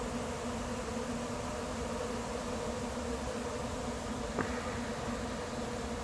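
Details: Honey bees of a late-season swarm settling into an empty, unprepared hive make a continuous, even droning hum; a single sharp click cuts through briefly near the end.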